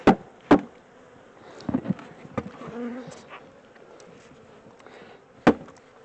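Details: A caught honey bee swarm moved out of a temporary small box into a larger home; a steady buzzing hum of many bees under repeated sharp taps and wooden knocks from working the hive.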